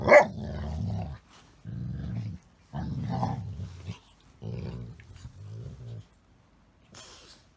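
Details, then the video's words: Pet Golden Retriever Elena talking in odd dog-speak while play-fighting with a Chihuahua-Shih Tzu; five low, rumbling growl-moans of about a second each, the first with a sharp higher yelp at its start. "訳の分からん犬語を話しながらじゃれ合う愛犬たち(笑)[Golden Retriever]"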